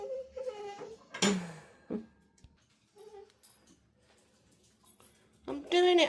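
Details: A female pet dog excited at dinner time indoors makes short tonal whining noises, some rising and falling, with a loud wavering whine near the end, while a woman talks to her and household clatter sounds.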